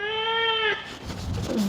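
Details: Domestic cat during an ear-cleaning grooming session: one steady, even-pitched meow lasting under a second and dipping slightly at its end, followed by soft rustling and handling noises.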